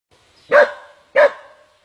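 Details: A dog under attack by an anaconda gives two sharp, loud yelps about two-thirds of a second apart, each brief and bright with a ringing, slightly rising tone, in an otherwise quiet background.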